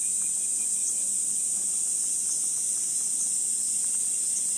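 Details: Cicadas calling in Gifu Prefectural Centennial Park, Japan, on a 37°C summer morning, 23 July, along a sunlit wooded walking path: a steady, unbroken high-pitched shrill drone with no pauses and no other sounds standing out.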